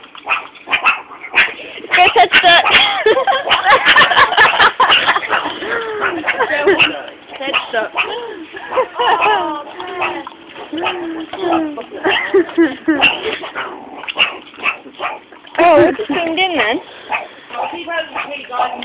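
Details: Captive meerkats at Moulton College growling and barking while being fed mealworms in tubes; dense overlapping chatter of short harsh barks and rising squeaky calls from several animals, with people talking nearby.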